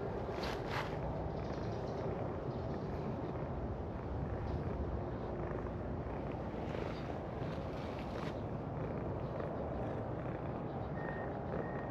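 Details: Steady low rumble like a boat or vehicle engine with wind buffeting the microphone, and no animal calls.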